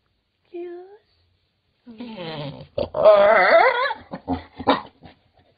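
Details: Pet dog indoors, a wavering, whiny growl rising and falling over about a second, with brief voiced sounds before and after and human speech mixed in.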